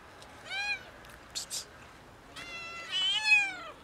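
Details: A cat among a kitten and two cats meowing loudly for food gives a short, high meow and then a longer, drawn-out one.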